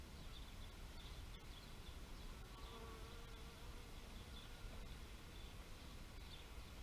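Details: Bee buzzing softly over a steady low rumble, a faint hum with thin, even tones that hold through most of the stretch, and a few faint high chirps in the background.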